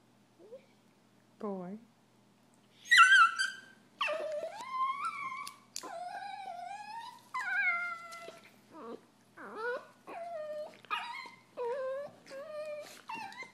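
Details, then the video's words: Two Italian Greyhound brothers in an annoyed disagreement produce a series of short, rising, nasal whines and yelps, repeated roughly every second after a few sparse opening squeaks. "Italian Greyhounds annoyed"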